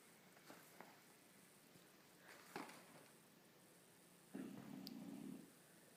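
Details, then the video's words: Upside-down sleeping Bulldog lets out a single grating snore of about a second late in the stretch, after faint soft breaths and light room noise. "Funny Bulldog snoring upside down."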